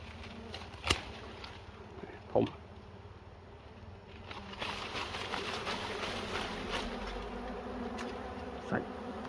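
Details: Bees at a nest in a cashew orchard while honey is harvested: a steady low droning hum runs throughout, broken by several sharp clicks and knocks from handling and a brief burst of rustling.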